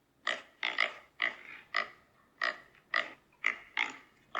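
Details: Pig squealing: nine loud, harsh, shrill screams about half a second apart, each short and bright with a strong piercing tone, separated by near silence.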